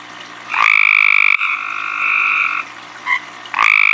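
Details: At night, a tree frog calls right in front of the recorder: long, nasal, finely pulsed calls at a fairly high pitch, with short notes between.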